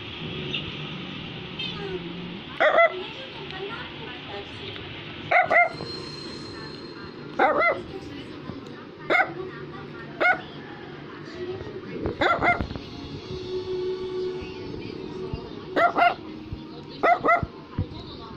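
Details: Brussels Griffon, a toy dog breed, barking indoors: short sharp barks spaced roughly two to three seconds apart, some in quick pairs, over continuous background music.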